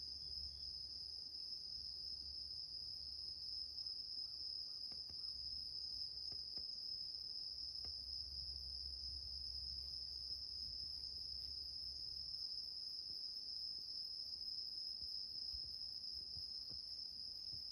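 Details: A bell cricket (Meloimorpha japonica) sings a steady, high, bell-like ringing trill without pause, heard indoors while a cat sleeps on an elderly woman's bed.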